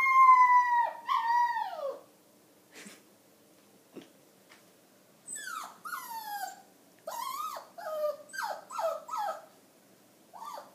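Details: A five-pound dog singing in the morning: a long high howl that slides downward, a pause with faint clicks, then a string of short bending yowls repeated about every half second.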